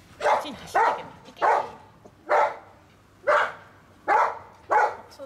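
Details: German Shepherd Dog puppies, a litter of five, giving a series of short high yips roughly every half to one second, each a brief bright burst with rising harmonics, over a quiet background.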